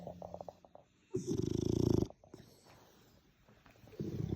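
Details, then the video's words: Sleeping French Bulldog snoring; one loud, rattling, low-pitched snore lasting about a second, with softer snuffling breaths before and after and another snore beginning at the end. "snoring dogs all day and night"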